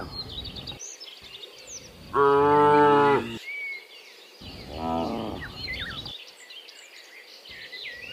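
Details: Dozens of cows mooing in the afternoon while returning from the fields to the pen; two harmonic moos, a long loud one and a shorter softer one, with bird chirps in the background.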